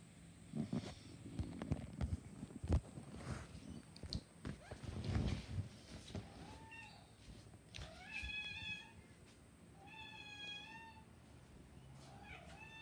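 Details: Black cat meowing several times in the second half, each meow a rising then falling harmonic cry about one second long, after a stretch of handling and rustling noises with a steady hum in the background.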